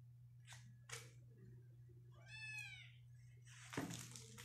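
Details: Persian cat at a cattery in Pakistan among playing cats and kittens: one short mewing cry with stacked harmonics, first rising and then falling, over a steady low electrical hum, with a few soft thumps and rustles around it.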